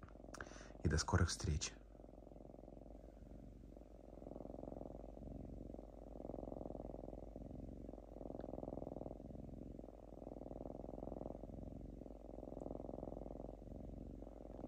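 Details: Diva, a pet lynx kept in a house, purring while unusually calm and shredding paper towel: a steady low rumbling purr swelling and fading in slow waves with each breath, after a brief burst of human speech at the start.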